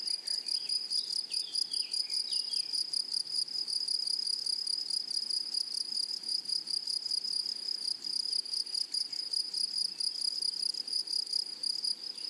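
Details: A chorus of grasshoppers in a blooming prairie meadow rings as a sustained, thin, metallic whine with rapid pulses, and brief descending chirps sound faintly during the first few seconds.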